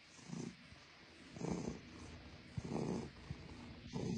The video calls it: blue (russian blue cat) purring lots